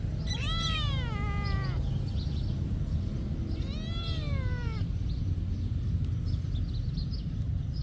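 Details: Cat living at a monastery gives two long, bending meows, the first near the start and the second around four seconds in, each falling at the end, with a constant low background hum.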